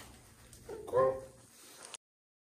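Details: A female Eurasian lynx at a big-cat sanctuary shows off one of her unique vocalizations: a single brief, tonal, mewing call in a quiet, indoor-sounding space.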